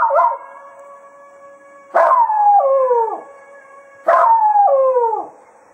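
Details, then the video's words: Howling Jack Russell Terrier Cato bids the foxhounds farewell after hunting at Quail Roost; three wavering, downward-sliding howls come about two seconds apart over a steady, sustained droning tone in the background. "Cato Serenading the Hounds after a Day of Hunting at Quail Roost"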